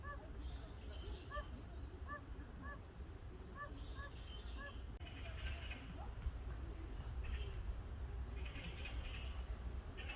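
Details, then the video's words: Oriental fire-bellied toad calling for a mate, heard from nearby, very quiet: soft short notes repeated in quick pairs and triplets through the first half, then fading under a steady low rumble and faint hiss. "무당개구리 울음소리"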